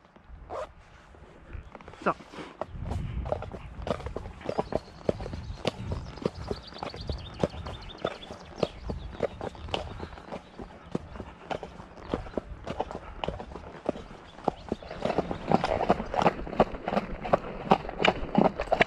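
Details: Shire horse Damon of Ostsee Shires on the outbound trip to collect a new boarder from Falkendorf on 2 May, after early rain: steady sharp hoof clops roughly three per second, with people talking over them throughout.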